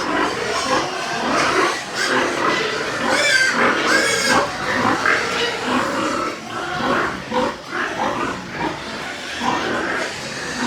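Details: White pigs kept on a farm in Nepal. Overlapping squeals and rough grunts from a group rise and fall in uneven bursts. Loudest squealing comes near the middle.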